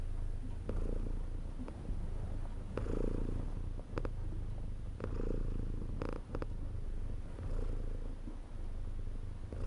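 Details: Domestic cat purr, a low vibrating rumble pulsing with each breath roughly every two seconds, broken by a few soft clicks and small rustling sounds.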